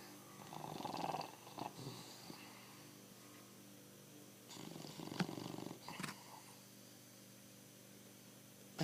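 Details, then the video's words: Pancho, a bulldog, snores in a small indoor space: a few rasping, gurgling breaths at the start and again mid-way, with quiet gaps and a thump at the end. "BULLDOG, Pancho para de roncar !"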